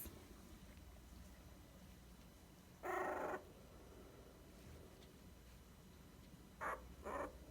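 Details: Dachshund puppies, twenty days old, give short harsh squealing yelps indoors: one longer burst, then two quick ones close together near the end, with low room hum between.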